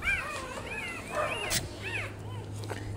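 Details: Nursing Rottweiler puppies feeding from a black mother dog give a run of thin, arching squeals and whines, several pups overlapping, over a steady low hum.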